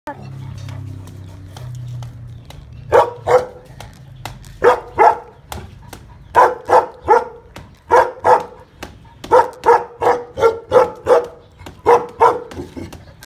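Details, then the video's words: Tibetan Mastiff barking in a rapid, fairly regular series of loud, harmonic barks, roughly three per second in bursts, starting after about three seconds of quieter low murmuring at the opening. "Tibetan mastiff"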